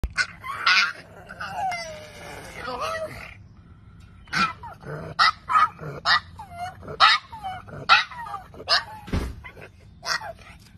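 A pug gives a run of short, honking, donkey-like cries with a nasal, wheezy edge.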